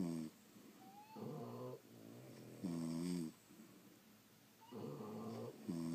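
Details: French Bulldogs asleep indoors, snoring in a steady cycle of rattling, harmonic-rich breaths roughly every three seconds, inhale and exhale phases alternating, with a faint high whistle through the nose between snores.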